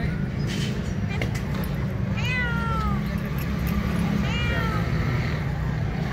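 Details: Homeless stray cat hungry for food gives two long, bending meows about two seconds apart, the first rising then falling, over a steady low rumbling background.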